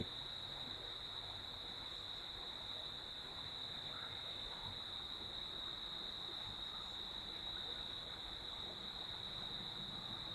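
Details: Crickets calling at night near a villa in Sreemangal, heard from an upstairs veranda beside a flowing stream: one steady, unbroken high-pitched trill holds throughout over a soft, broad rush of running water.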